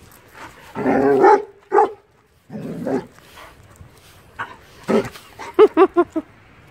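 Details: Young 6-month-old German Shepherd behaving mischievously, giving bursts of rough, broadband barks, a pause, then a quick run of four or five short, sharp barks near the end.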